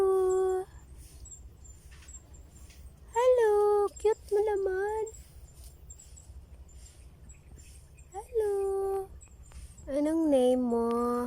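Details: Baby goat under a tree, giving wavering, nasal bleats in short bursts with silent gaps between, some calls dipping then rising in pitch; faint background hum.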